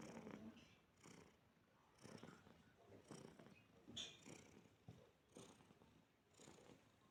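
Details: Pet cat relaxing alongside a person, purring in a deep, regular throb that surges roughly once a second across the clip.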